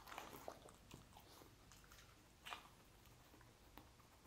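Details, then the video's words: Lucy, a dog, eating sausages in a small room; a flurry of quick chewing smacks at the start, then sparse bites with a louder crunch midway, soft hum throughout. "Dog Eating Sausages [Sound Dogs Love] [강아지가 좋아하는 소리]"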